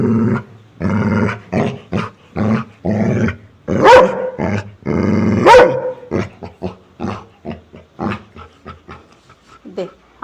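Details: Domestic dog giving a run of short, harmonic barks and growly bursts at irregular intervals, with two sharper, higher yelps near the middle, while people talk and laugh nearby in Telugu.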